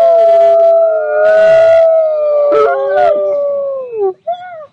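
Several grey wolves howl together in long, smooth, overlapping tones that slowly fall in pitch.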